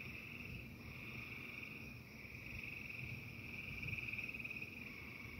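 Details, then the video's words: Frogs singing during a thunderstorm, a dense, steady high trilling chorus running unbroken through the clip over a constant low rumble of storm noise. "The frogs singing to the angry sky."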